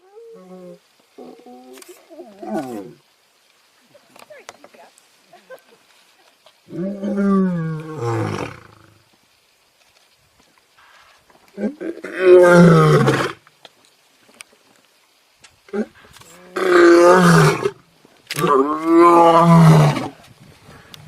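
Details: Lion giving deep, harmonic moaning grunts in scattered bouts of one to two seconds, separated by quiet gaps, growing louder and closer together toward the end.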